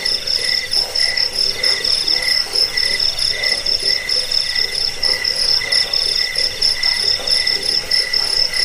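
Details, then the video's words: Crickets chirping in a track offered to repel rats, aid sleep and train songbirds: high, bright pulsed trills from several insects, one strong upper tone with softer lower ones, pulsing roughly every second. "Suara jangkik pengusir tikus pengantar tidur"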